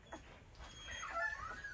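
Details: Rottweiler puppy, one of four 11-day-old littermates indoors, gives soft thin whimpering squeaks that rise and fall over under two seconds, while a person nearby laughs and talks about the pup biting.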